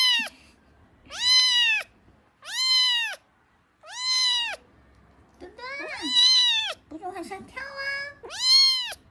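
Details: Kitten giving a series of loud, clear meows, each about half a second to a second long with an arched pitch, spaced roughly every one to one and a half seconds, plus a few brief squeaky overlapping cries.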